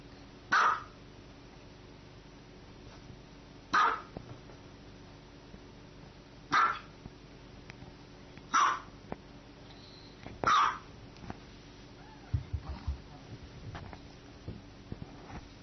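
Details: Dog giving five loud, abrupt barks, roughly one every two seconds, then falling quiet apart from soft rustling and a low background hum.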